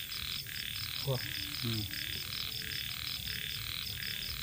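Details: Evening chorus of small frogs at a rice-field edge, with rhythmic croaks pulsing steadily beneath a continuous high insect trill and a brief human voice early on.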